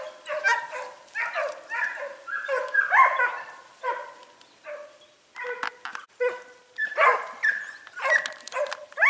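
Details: Hare hunt with Segugio Italiano hounds, smooth-haired and wire-haired, in Sofiko, Evros, Greece, 18 October 2015; several dogs give bursts of high, strained yelps and baying cries, with a short lull midway and single sharp yips.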